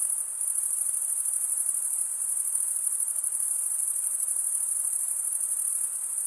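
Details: Male crickets stridulating, one wing's edge running along a comb of teeth on the other, produce a dense, steady, high shrill trill with a faintly pulsing texture and nothing else audible.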